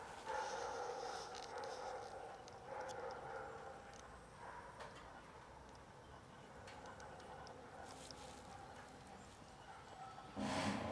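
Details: Pair of cats in love, rough during mating, their second time: long, wavering, drawn-out yowls with strong harmonics run almost without break through the clip, swelling and fading, ending in a louder, harsher outburst.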